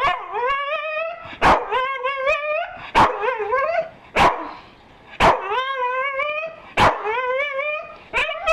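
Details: Staffordshire Bull Terrier vocalising when offered breakfast: drawn-out, warbling whines with rising and falling pitch, punctuated by short sharp barks, then a voice praising him as a good boy.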